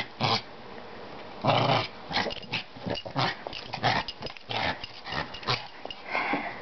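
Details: Pet Maltese dog making gruff growls and snuffling huffs, short harsh bursts repeated irregularly over several seconds.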